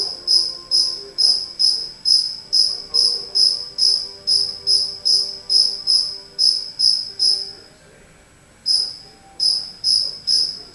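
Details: Indoors, a cricket that strayed into a home keeps up a regular train of shrill, bell-like chirps about two per second, falls silent for roughly a second, then starts again; faint low hum and murmurs sit beneath.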